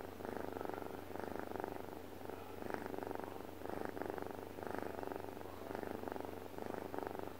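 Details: A sleeping pet cat purrs or snores in a low, rattling drone. It swells and eases in regular breathing cycles about every second and a quarter, in a quiet indoor setting.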